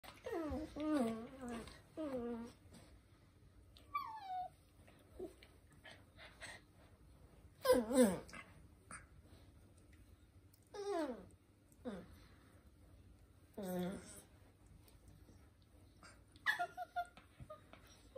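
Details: Cairn Terrier puppies, a brother and sister, whimper and yelp in high, wavering whines that slide downward in pitch while snuggling together.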